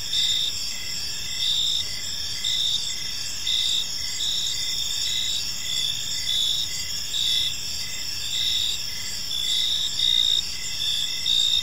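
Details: An evening park chorus of crickets, with continuous high-pitched trilling layered over evenly spaced short chirps that keep a brisk, regular beat throughout, and soft low rumble underneath.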